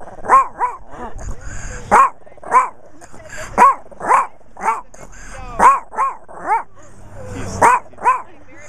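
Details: Chihuahua recorded close up on a Kodak Zi8 camera in macro mode, giving sharp, shrill yaps in quick irregular bursts, often paired in twos, roughly a dozen barks with brief quiet gaps and faint low hum.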